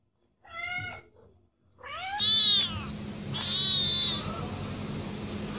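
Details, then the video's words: A domestic cat gives a short meow, then a long loud strained yowl that wavers and falls before breaking into a second drawn-out cry over a harsh noisy background. "Cat Sounds"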